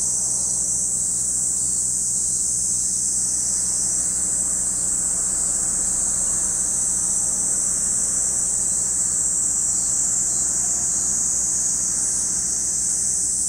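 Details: Cicadas at Lake Kamo in Sado City, Niigata Prefecture, Japan: a steady, unbroken high-pitched shrill drone holds at one level for the whole stretch, with a faint low hum beneath.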